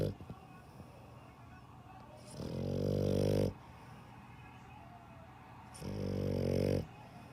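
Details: Snoring dog with two drawn-out, buzzy low snores about a second long, spaced around three seconds apart, and quiet breathing between them.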